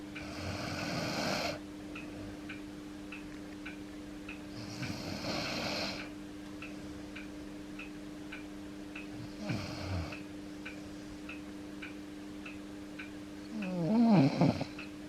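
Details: Snores from Yuki, an Akita dog grown older, sleeping on a person's foot: four harsh, buzzy snorting breaths roughly every four to five seconds, the last one louder and fluttering, over a steady clock tick and low hum.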